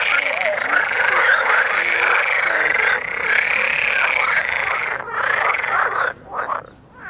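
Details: Dense chorus of mating frogs in Vrijbroek park, Mechelen: many overlapping rattling croaks merge into a steady, buzzing wall of sound, briefly thinning near the end.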